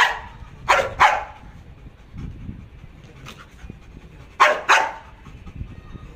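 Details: Malinois Jax barking on command during training, not attacking: two quick paired barks, a gap of about three seconds with soft panting and shuffling, then another close pair of sharp barks.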